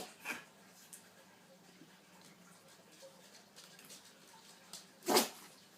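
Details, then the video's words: Pug indoors giving a short snort early on, then a single loud, explosive sneeze near the end after a few quiet seconds of faint room noise. "Sneezing pug"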